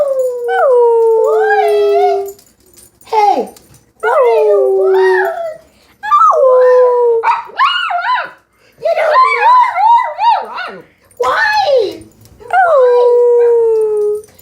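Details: Domestic dog singing along with people making howling noises; drawn-out falling howls alternating with human vocal imitations, repeated phrases separated by short silences.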